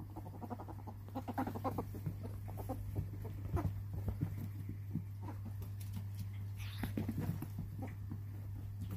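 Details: A rescue ferret in a ferret enclosure dooks, a quick soft clucking chatter in uneven bursts, over a steady low hum.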